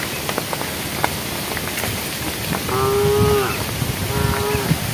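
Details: Cows in a herd on a road, calling the herd: two short, flat, steady moos about a second apart, the first longer and falling at the end, over a constant hiss and crackling background.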